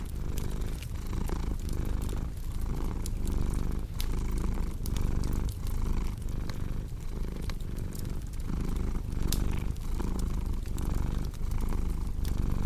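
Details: Purring house cat by a fire: a steady throaty rumble rising and falling about once a second with each breath, mixed with sharp popping and crackling of burning logs.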